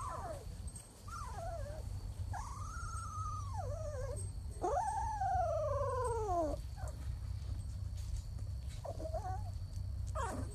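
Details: Labrador Retriever puppies in a compilation of cute moments: drawn-out whining cries that rise then slowly fall, one long wavering whimper in the middle, with shorter whines before and after over a steady low hum.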